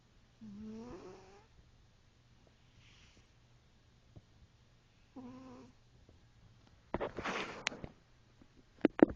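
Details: A snoring cat gives two tonal, rising breath sounds several seconds apart, followed by bursts of rustling and clicking noise near the end.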